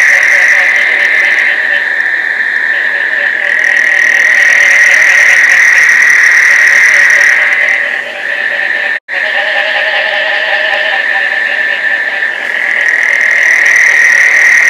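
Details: Many frogs calling together in Placencia, Belize, in the summer rains as they mate. The high droning chorus fills the recording, with rapid lower trills joining partway through and a brief cut near the middle.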